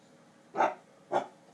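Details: A Basset Hound gives two deep, short barks about half a second apart while treating a hamster rolling in its exercise ball as a toy.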